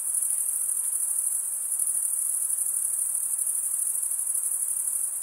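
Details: Crickets chirping in a dense, unbroken chorus: a shrill, very high-pitched trill that holds steady with a faint fine pulsing throughout, with no other animals, voices or music audible.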